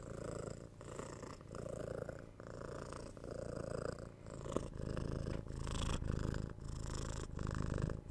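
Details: Domestic cat purring steadily at close range, a low throbbing rumble that swells and fades with every breath, cycles under a second apart, slightly louder toward the end.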